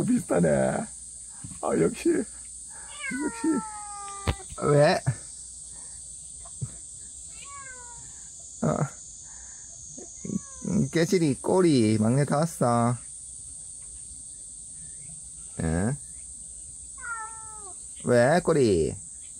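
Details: Cat that wandered into a yard and refuses to leave, giving several short, falling, whiny meows scattered between stretches of people talking, over a steady high insect hum.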